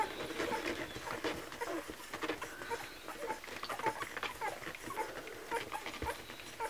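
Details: Kromfohrländer puppies at a milk feeding: a steady series of short, thin, high squeaks and whimpers, roughly two per second, over soft rustling and suckling noises.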